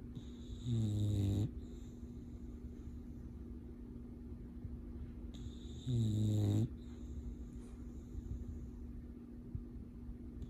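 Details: A sleeping male English Bulldog, deep in his dreams, snores in deep, rattling bursts about every five seconds.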